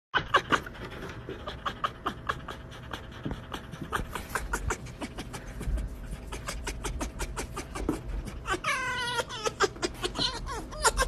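An Arctic fox gives rapid, breathy panting pulses broken by one high, wavering whine.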